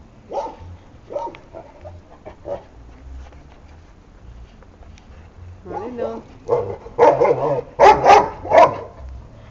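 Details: Šarplaninac puppies, offspring of Lun od Bjelica and Tara od Bjelica. Scattered soft yelps come first, then a cluster of loud, sharp puppy barks and yips near the end, with some human speech mixed in.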